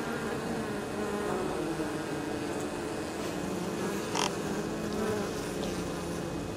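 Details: Swarm of honey bees flying in and out of their hive on an exceptionally warm 23 October, carrying pollen and likely nectar gathered from cover crops close to the apiary; dense continuous humming with a short sharp tick partway through.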